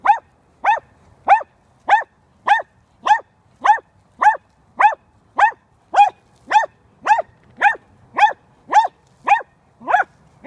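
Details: Barking from dachshunds on a chipmunk hunt: a long, very regular run of sharp, ringing yelps, one roughly every half second, about eighteen in all, against quiet surroundings.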